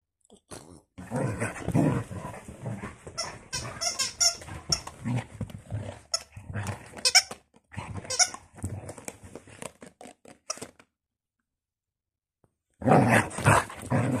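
A Basset Hound makes a rapid string of deep, harmonic yelps, moans and grumbles that come in uneven bursts. High, sharp squeaks from a squeaker toy cut in between, then there is a short silence before a final loud burst.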